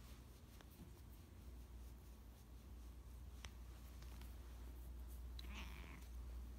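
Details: Affectionate foster cat purring, a steady low rumble throughout, with faint clicks and a brief higher sound near the end; quiet indoor recording.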